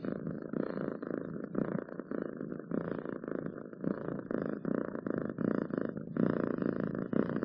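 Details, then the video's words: Domestic cat purring close up, a steady rumbling purr pulsing in breaths roughly every half second, with brief pauses as it inhales; no other sounds. "7 minutes of Cats Purring to make your day better!"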